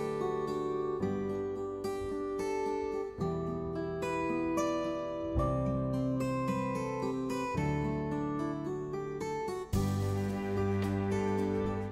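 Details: Plucked acoustic guitar music plays continuously with strummed chords and a brighter passage near the end; no animal voice is heard.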